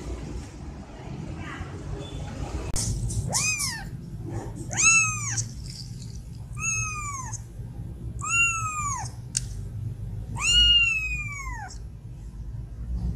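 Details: Three young kittens, described as sleeping peacefully together; five clear, arched meows that rise and then fall, with rich overtones. They come roughly every one and a half to two seconds over a low, steady background hum.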